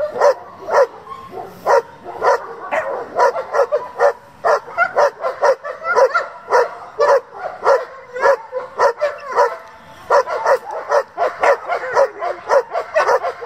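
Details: German Shepherds from a working and competition breeding group, barking in a steady, rapid volley of sharp, mid-pitched barks, close to two per second, continuing without pause for the whole stretch.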